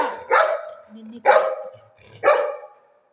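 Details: Golden retriever playing and demanding attention from its owner at home gives three short, harsh barks about a second apart, each bright and broad with a trailing tone, amid quiet pauses and nearby Marathi speech.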